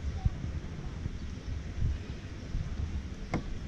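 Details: Rumbling outdoor wind buffeting the microphone, with one short sharp click near the end and no animal sound.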